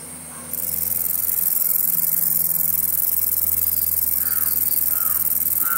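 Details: A green meadow katydid (Conocephalus melaenus) gives a continuous, high-pitched hissing buzz, with a few faint bird calls in the distance.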